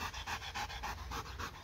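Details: Dog playing with a laser pointer, panting hard: quick, breathy bursts, about ten in under two seconds, evenly spaced and steady in loudness.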